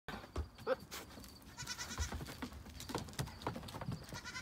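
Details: Nigerian Dwarf doe in heat during rut season, showing tail flagging and buck noises near the buck pen; a harsh, wavering bleat with noisy overtones mid-clip among rustling and scattered background knocks.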